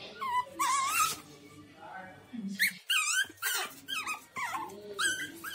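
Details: Pug dog indoors giving a run of high, wavering whines and yelps, each note sliding up then down, several short cries in quick succession with a person talking softly in between.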